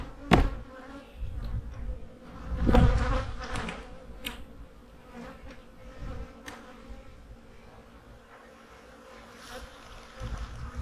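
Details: Honey bee hives during autumn preparation for winter give a steady low hum with faint harmonic bands, broken by sharp knocks and clicks from hive handling.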